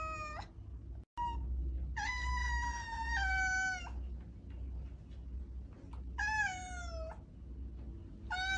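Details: Domestic cat calling with five insistent meows in quick succession, some long and level, others bending downward, over a strong low hum with a brief dropout near the start.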